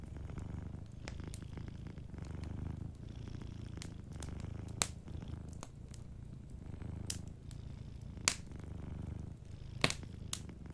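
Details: Soft low purring from a sleeping cat beside a fireplace, the rumble rising and falling in phrases while sharp crackles and pops of burning wood stand out clearly above it.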